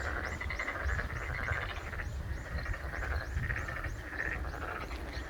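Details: Boreal digging frogs calling in the Shin Saimdang garden at Ojukheon: a steady chorus of nasal, croaking notes that overlap and repeat without a break, over a low outdoor rumble.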